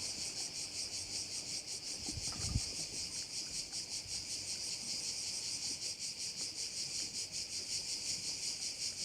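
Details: Crickets heard over a bay on Korčula, Croatia: a dense, continuous high buzzing chorus pulsing about three times a second, with a brief low thump partway through.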